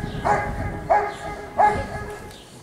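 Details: At a 2022 IGP CACT sport trial in Russia, Giant Schnauzer Rick vom Lindelbrunn lets out three full-throated barks spaced about two-thirds of a second apart, then falls quiet amid faint ambient noise.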